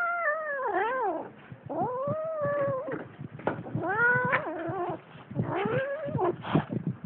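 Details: Cats in a fight trade loud, sliding yowls, each wail bending up and down in pitch and repeated several times with brief gaps and scuffling sounds between.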